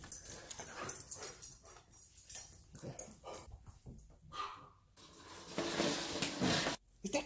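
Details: An abandoned Chihuahua cries as it is reunited with its owner. Short whimpering bursts come and go among a person's speech and handling noises indoors.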